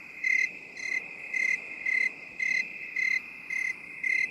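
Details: Cricket in binaural 8D audio, chirping in short bursts roughly twice a second, each pulse a clear high ringing tone over a steady continuous high hum and soft background hiss.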